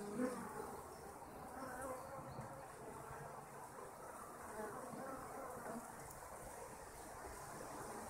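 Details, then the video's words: Kept honeybees make a steady, dense hum, a low droning buzz that holds at even loudness throughout with no clear breaks, a few faint tonal notes near the start. "Our honeybees"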